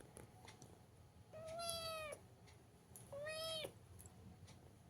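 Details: Pet cat in a sweater gives two long, steady meows, each held under a second and slightly arching, separated by a pause, over a quiet room hum with faint clicks.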